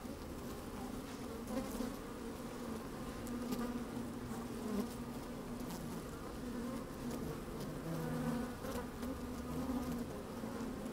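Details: Inside an opened hive on a sunny day, honey bees move about at work: an even, layered hum holds steady, with small rising buzzy flickers and faint crackling taps over the drone.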